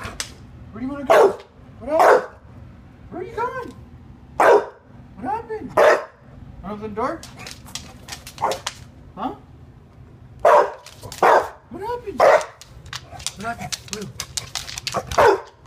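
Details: Rue, an English Bulldog who wants to go out to pee, barks in loud broadband bursts spaced one to several seconds apart while a person keeps asking what happened and where she wants to go, talking about the door.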